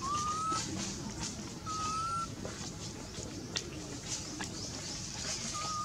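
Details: A hungry baby monkey, a female, gives thin, rising whistled cries, calling for her mother and wanting milk.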